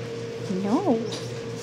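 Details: A 10-week-old RagaMuffin kitten gives a single short meow indoors, rising and then falling in a smooth arch, over a steady low electrical hum in a quiet room.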